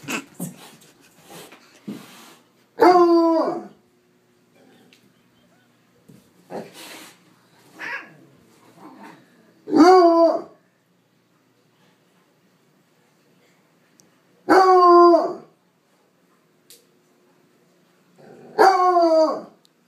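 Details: Bloodhound attempting to play with a cat gives four loud, drawn-out baying barks spaced several seconds apart, each rich and harmonic, with soft rustling and movement noises in the pauses.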